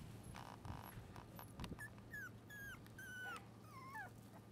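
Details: A 32-day-old red Shiba Inu bitch puppy whimpers in a kennel, giving five or six thin, squeaky cries that dip and fall in pitch, after a few soft rustles, with a constant low background hum.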